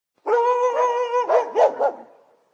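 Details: Dog giving a drawn-out, whining tone with layered harmonics for about a second, then breaking into three quick, sharp barks that trail off into a short fading whimper; no other sounds.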